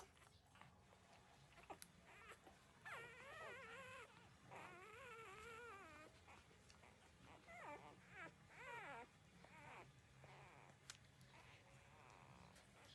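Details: Thirteen-day-old newborn puppies feeding on their mother's milk give drawn-out, wavering whines in three main bursts, each quavering up and down, over a steady hiss of background noise and rustling.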